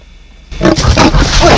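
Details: Wild lion at a roadside sighting in Kruger National Park, South Africa, with tourists out of their cars: a sudden loud, rough, deep roar bursting out of quiet and holding at full strength for about a second.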